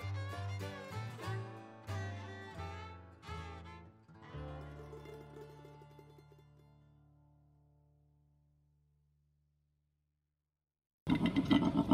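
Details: Plucked and bowed string music plays, then fades into a long silence, cut off by a short loud burst of sound at the very end, with no animal voice heard.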